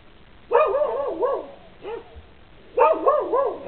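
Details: Barking dogs on a lanai give loud, rough barks in quick runs of three to four, a single softer bark between the two main bursts, over low steady background noise.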